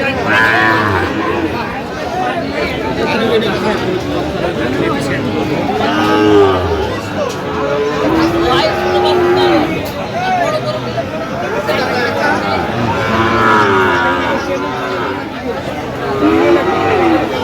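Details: Sahiwal bull calves at a crowded cattle market on 25 October, several low drawn-out moos rising and falling over steady human chatter and crowd noise, with louder calls around the middle and end.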